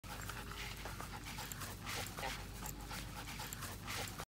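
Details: Female Standard Poodle puppy, playing as a young baby, panting with a steady breathy huffing noise that runs throughout, with faint voices underneath.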